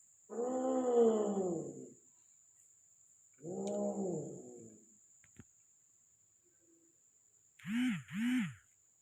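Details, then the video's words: Persian cats in Gujranwala during mating: two long, low, moaning yowls a few seconds apart, a brief click, then two short rising-and-falling whiny calls close together near the end, over a faint constant high whine. "How to cat 🐈 matting video | Persian Cat"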